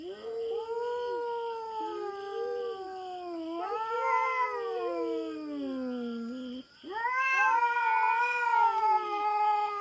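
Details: Feral cat on a farm in the Philippines, intruding on the farm cats' territory and squaring off with a black cat: long, loud harmonic wails with wavering pitch, a brief break near the middle, then a higher rising yowl, steady faint high buzz behind.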